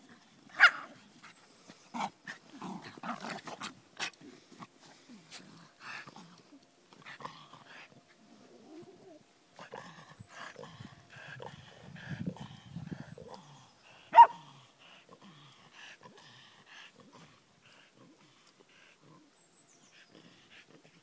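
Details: Dogs outdoors in sand dunes, giving scattered short barks and low growling sounds, with a sharp loud bark near the start and another mid-way, quieter gaps between.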